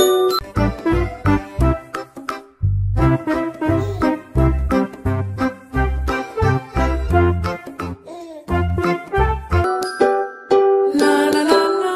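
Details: Bouncy tinkling children's music with bell-like notes and bass, no animal sounds heard.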